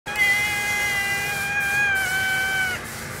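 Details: Kitten three months into recovery from malnutrition, still not friendly, gives one long drawn-out meow lasting about two and a half seconds. The cry holds an even pitch, dips slightly near the end, then stops abruptly. Voices call out to it afterward.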